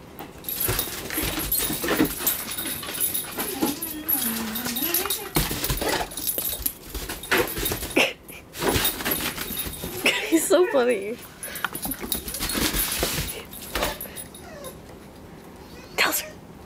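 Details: Pit bulls playing in the snow; wavering, tonal whines that slide up and down, heard in two stretches between bursts of rustling and thumping, with people talking to the dogs throughout.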